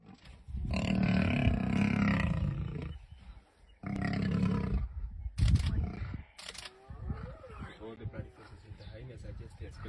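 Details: Male lion in Kenya's Masai Mara, a lone ruler of his pride, being beaten and driven out by two brothers. Long, deep harmonic roaring bouts, each lasting two to three seconds, come through gaps in a man's excited talking and a short burst of laughter.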